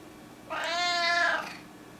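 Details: Domestic cat recorded indoors in April 2016, giving one clear drawn-out meow lasting about a second, rising slightly then falling, over a quiet background hiss.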